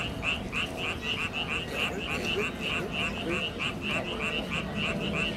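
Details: Frogs calling at Gimpo Hanok Village: a steady stream of short, bright, evenly repeated pulsed notes, roughly three a second, over a constant low rumble of background noise.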